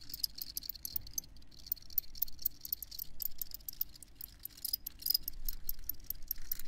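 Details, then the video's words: A dense chorus of crickets gives fast, high trilled chirps that overlap continuously, over a fairly strong low-pitched rumble of background noise. "Crickets Chirping"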